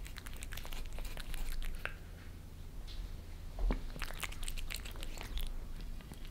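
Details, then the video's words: Two cats, Lissy (Maine Coon) and Fritz (British Shorthair), lick favourite creamy treats from a glass tabletop at home in Germany. Bursts of quick moist clicking are broken by a short lull, then resume thickly. "Cats licking creamy treats on glass table"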